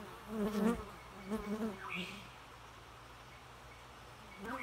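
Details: A bee's buzz in a few short, wavering bursts across the first two seconds, then fading into quiet background hiss with a faint higher chirp near the end.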